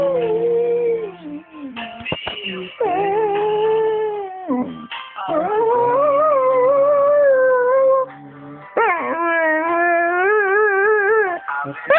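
A dog howls in long, wavering, tuneful notes that rise and fall like singing.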